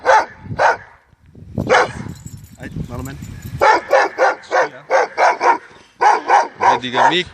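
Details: Dogo Argentino giving a few barks, with a human voice speaking early on, followed by a steady run of sharp, evenly spaced barks, several per second, continuing to the end.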